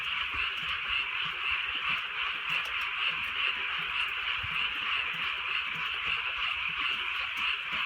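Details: Frog chorus from a rainy countryside night, a thick mid-pitched wall of overlapping croaks with quick pulsing notes and scattered soft low thumps, possibly raindrops.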